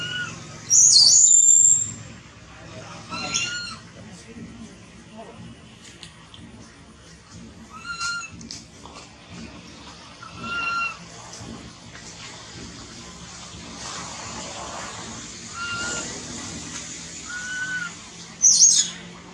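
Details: Baby monkey Thona, separated from its mother and hungry for milk, cries loudly: short tonal wails with harmonics, scattered among sharp high shrieks at the start and end, over a steady low background hum.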